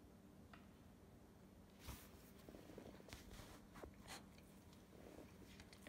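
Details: A Cocker Spaniel "talks" with a low, continuous rumbling grumble broken by brief breathy snorts while being refused food its owner is eating.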